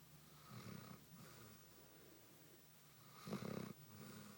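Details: A Basset Hound, sound asleep, snores in deep, rumbling breaths, the loudest rasp coming near the end.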